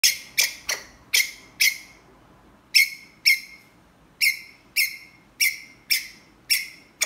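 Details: Ground squirrel calling for a mate: short, sharp chirps with a bright buzzy edge, given in quick bursts of two or three and then in an evenly spaced run, about a dozen in seven seconds.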